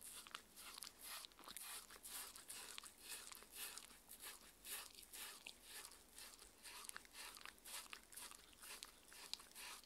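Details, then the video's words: Mindy, a six-year-old Shetland Sheepdog, eating her daily raw-food dinner of chicken and pumpkin soup, then steamed chicken and raw beef: dense, irregular crunching and biting clicks about twice a second, sharp and bright, with no talking. "Dog eating and drinking Sounds"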